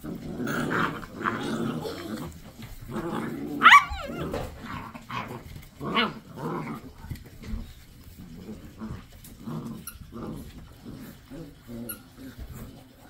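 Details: Seven-week-old Basset Hound puppies indoors, a string of soft low growls and grunts with one sharp high yelp near the four-second mark, followed by fainter scattered puppy noises.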